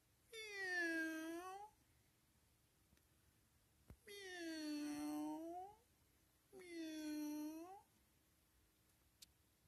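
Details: Friendly, playful cat meowing indoors: three long, loud harmonic meows spaced about three seconds apart, each dipping then rising, with faint clicks between them.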